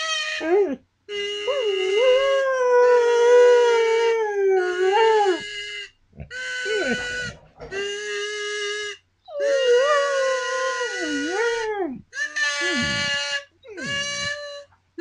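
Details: Pet dog howling along as its owner plays a kazoo: long wavering tonal howls with rich harmonics, sliding up and down, in bursts of several seconds separated by short pauses; buzzy kazoo tones mixed in.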